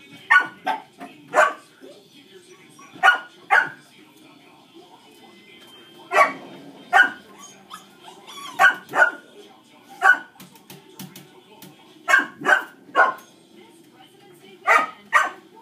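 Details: Steady distracting barking from dogs, in single and paired sharp barks every second or two over fifteen seconds. Heard indoors during a shaping training session with Dixie, a dog reactive to other dogs.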